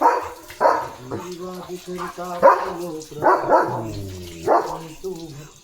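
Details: German Shepherd Leo out in his field, a few loud barks mixed with people talking, with low voiced speech and music-like tones between the barks.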